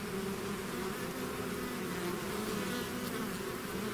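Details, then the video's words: Bees swarming from their hive: a thick continuous hum, layered low tones with wavering overtones and a noisy wash on top, no pauses and no other sounds. "bees therapy swarm natural buzzing sound"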